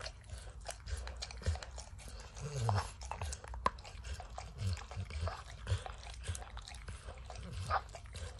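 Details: A dog named Max eats peanut butter and kibble from an orange lick mat. Sparse wet clicks and tongue smacks come between quieter pauses, and a few louder crunchy snaps stand out against a low, muffled indoor background.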